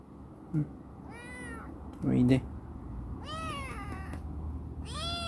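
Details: Chibikuro, a rescued black female ex-stray cat grown affectionate and lively, living in a warehouse, gives several rising-falling meows in quick succession, about one to two seconds apart. A brief human voice sounds between them.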